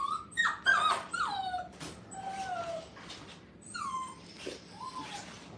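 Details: Brittany puppies, five weeks old, on their first time in a playpen: a run of high, whistled whines, each falling in pitch, some short and some drawn out, in a quiet indoor space.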